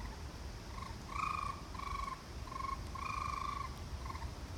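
A raccoon gives a series of short, wavering, trilled notes at a steady middle pitch.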